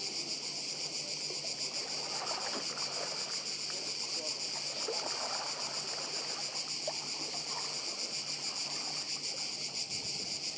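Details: Chorus of cicadas on the Croatian island of Badija: an unbroken, hissing high-pitched drone with fine rapid pulsing, and faint sea murmur with small knocks underneath.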